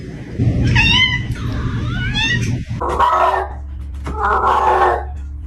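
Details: Pet cat producing two different sounds: first high, chirping, wavering trills rising and falling in pitch, then lower, longer, rough meow-like calls, over a steady low background hum.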